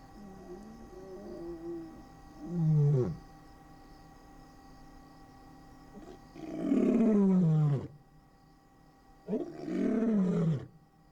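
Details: At night in Kruger National Park's Singita Lebombo, a male lion gives his territorial roar: deep, powerful, downward-sliding bellows in bursts a few seconds apart over a faint hum. Such a roar carries 8–9 km.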